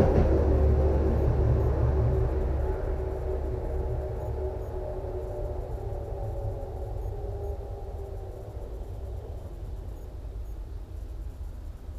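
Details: A low, steady mechanical rumble like a passing tram or train fades slowly, with no animal calls audible.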